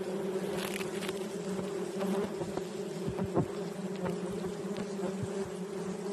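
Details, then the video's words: Bees at a hive located under a hole; a steady low droning hum with a constant pitch throughout, and scattered clicks and rustles over it. "A Bee 🐝 hive located under hole"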